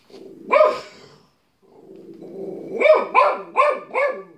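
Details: Pet dog giving one sharp bark, a short pause, then a low rumbling lead-in and a run of four quick, evenly spaced barks.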